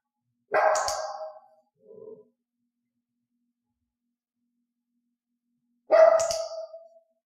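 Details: Dog barking on a trained hand-signal cue indoors: a loud sharp bark, a brief soft low sound after it, then about four seconds of silence before a second loud piercing bark.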